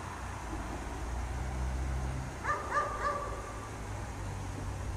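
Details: A dog kept chained outside in the cold snow barks three quick times in a row after a quiet stretch, with a low steady hum running underneath throughout.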